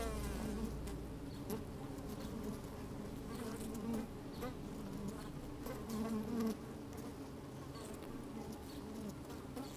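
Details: Honey bees working inside an open hive on a fine sunny day, microphone slid down among them: a steady low droning hum with bands around 200 to 500, brief louder buzzes near four and six seconds, faint clicks and wind.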